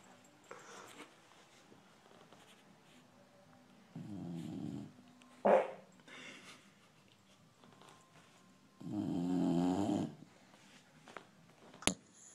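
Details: Dog snoring while asleep, two separate rasping snores several seconds apart, each about a second long, with a short sharp noise between them and quiet room sound.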